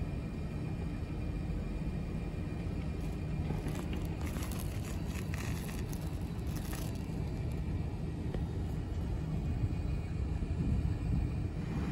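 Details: Low, steady rumbling noise like a passing vehicle, with no animal call standing out.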